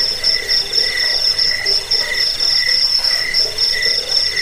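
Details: Crickets sounding as a rat repellent, sleep aid and songbird tutor: bright, rapidly pulsed chirps run in short bursts of about half a second, several per second, high and metallic over a steady background hiss.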